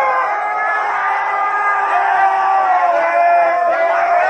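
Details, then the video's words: Pack of huskies howling together in a sustained chorus as people sing nearby, layered drawn-out tones holding steady and wavering, several voices overlapping without a break. "Никогда не пойте рядом со стаей хаски"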